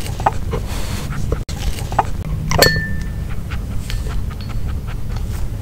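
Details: Nino, a dog, eating a grilled pork pouch with no talking: steady soft panting under a low hum, scattered clicks, a brief clink and a short thin tone midway.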